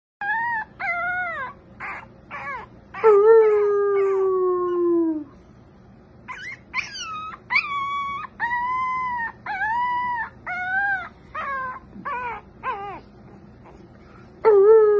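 An American Cocker Spaniel gives a wavering howl, mixing quick yelping notes with drawn-out wails that slide downward. The howls come in bursts with brief pauses, ending on a fresh rising note.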